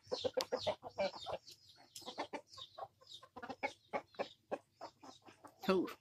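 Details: Gamecock, recorded 22 January 2022, clucking in quick uneven bursts of brief notes for several seconds, ending in a louder harsh squawk; faint high bird chirps behind.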